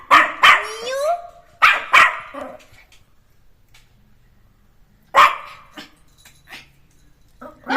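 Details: Playful Jack Russell Terrier puppy, let out of its enclosure, fires off bursts of high, sharp yaps in pairs, then a pause and another bark, with a woman speaking nearby.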